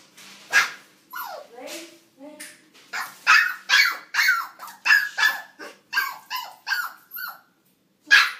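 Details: Dog barking at its own reflection in a mirror: a rapid run of sharp, mid-pitched barks, roughly a dozen in eight seconds, with short gaps and a brief pause before a final bark.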